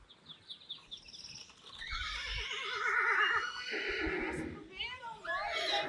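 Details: A Friesian horse, Rising Star or Reintje, photographed as a model, delivers a long quavering whinny with rapidly wavering pitch that swells over several seconds and breaks into shorter whinnying bursts at the end, with faint voices in the background.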